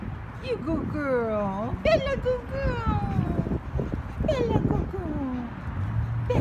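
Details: A rescued Pomeranian barks at the camera with high, yappy barks and drawn-out falling whines, while a person talks underneath.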